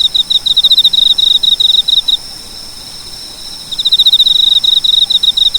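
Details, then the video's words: Cricket chirping in bursts of rapid, high, pulsed trills, each burst about two seconds long with a pause between, over a faint steady background hum. "蟋蟀‖视频音效‖Video Sound Effect‖Cricket"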